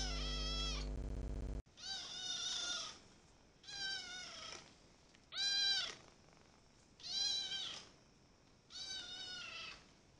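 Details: Young cat, adopted ten days earlier, gives a series of five clear meows, each rising and falling, about a second long and spaced every one and a half to two seconds, after a brief humming sound at the start.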